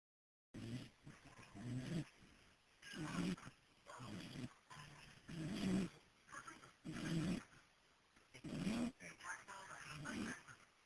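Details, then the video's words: Sleeping dog snoring on a porch, caught on a cell phone: about eight rough, low, rasping snores, one every second or so, with people talking and a television murmuring in the background. "My Dog Biff Asleep And Snoring"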